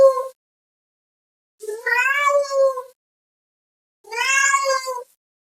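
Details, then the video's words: Cat meowing to call another cat: a clipped meow, then two long, steady, harmonic-rich meows of about a second each, separated by silence. "GATO MIANDO, Som de Gato, Gato miando chamando outro gato"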